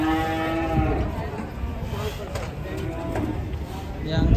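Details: Fat cattle during a failed attempt at loading. A low, drawn-out moo with stacked harmonics fills the first second and a half. Music, clatter and voices continue underneath throughout.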